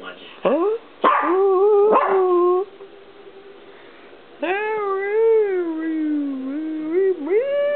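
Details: Peanut, a Chihuahua, arguing with the camera: quick sharp yelps, then sustained, wavering, rising-and-falling yowls, almost like talking, that end in an upward sweep.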